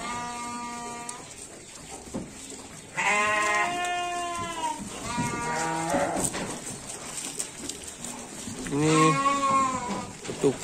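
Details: Garut sheep fed supplementary rations such as jackfruit leaves, calling with a short bleat, then a long wavering one, and a final rising cry, each rich in stacked overtones, over a constant background hiss.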